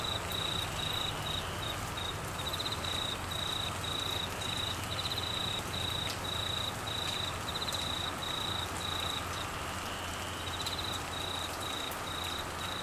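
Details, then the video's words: Queensland crickets in monsoon-season rain and flooding, their high pulsed trill repeating in long bursts with brief pauses between them, over continuous rain hiss and low rumbling. "Crickets and rain Sounds"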